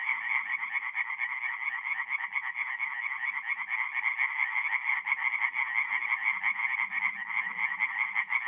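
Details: Forest pond at night in North-East Italy, mid-April: tree frogs croaking in a loud continuous chorus of quick repeated pulses, some low murmuring croaks in the background.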